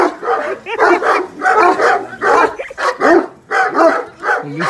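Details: Cane Corso barking as a visitor arrives at the gate: harsh barks in rapid, irregular bursts of about one per second, mixed with people talking and calling out greetings.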